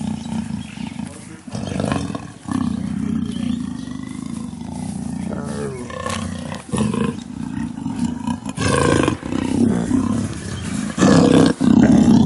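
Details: A female black leopard in heat at a big-cat sanctuary roars constantly to call a male while pacing her enclosure, giving deep, rumbling roars with a rough, throaty edge, rising and falling in strained bursts.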